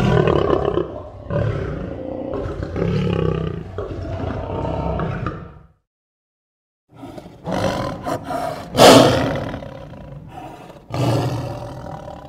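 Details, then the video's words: Lion roars, a call used to communicate location, show strength and intimidate rival prides: deep, rough, broadband roaring for about six seconds, a brief silence, then harsher, louder bursts peaking near the ninth second before fading. "Lions Roar Sound Effects"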